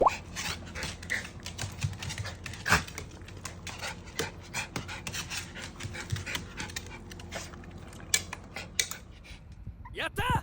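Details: Mame shiba puppy named Kinako, a pet Shiba Inu, seeming to laugh: rapid, breathy, raspy panting bursts in an irregular stream for about ten seconds, with clicks and handling noises and a brief whine near the end.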